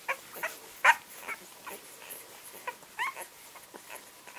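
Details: A litter of 11-day-old English Springer Spaniel puppies squeak and whimper in short, thin, high-pitched bursts.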